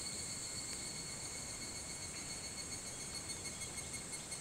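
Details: Evening cicadas (higurashi) at 4:30 a.m. on 28 July 2011, Hitotsubashi University campus, Kunitachi, Tokyo: a steady, high, ringing insect chorus with several shrill tones. Soft rhythmic pulses grow more noticeable toward the end.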